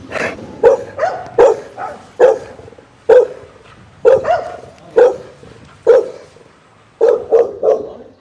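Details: Angry, loud pit bull barks, single or in quick pairs and triples, each a short explosive woof spaced roughly once a second, with quiet gaps between.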